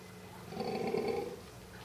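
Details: Baby golden takin born 9 March 2014, walking after its mother Hoi at Tama Zoological Park, recorded April 2014; a single short, low, nasal grunting call lasting under a second over a steady background hum.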